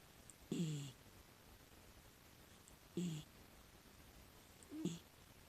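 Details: Six-year-old female rescue miniature dachshund asleep indoors, filmed secretly: soft, low snorting snores or heavy sleep breaths, three in all, roughly two and a half seconds apart, over a faint background hiss.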